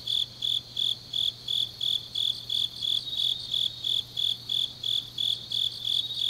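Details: High, regular insect pulses from grass insects of Changnyeong, Korea, on a late autumn night, roughly three chirps each second, overlapping softer rapid trills higher up and a faint constant low drone.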